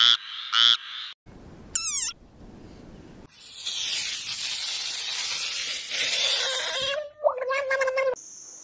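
A string of different frog calls: raspy croaks, a quick swooping note, and a long buzzy chorus.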